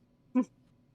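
An American bison gives a single short, harsh grunt, rough and throaty, over a faint background murmur.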